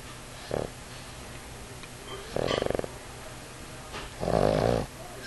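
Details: Heavy 50 lb male Pug cuddling and dozing on a man's knee gives three rough snores, a short one then two longer fluttering, rattling breaths about two seconds apart, against a low indoor hum.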